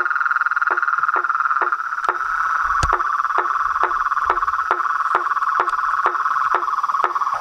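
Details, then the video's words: Night chorus of toads, frogs and treefrogs at a reservoir in front of a house veranda, recorded at nightfall: a steady, dense mid-pitched trilling hum with sharp knocking notes repeating about every half second, plus a few sudden louder clicks. "A SINFONIA DOS SAPOS, RÃS E PERERECAS"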